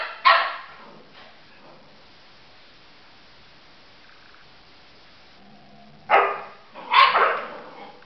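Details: Labrador Retriever puppy Nella, three months old, playing with eleven-year-old Libby; one sharp bark at the start, a long quiet stretch, then two more barks close together near the end.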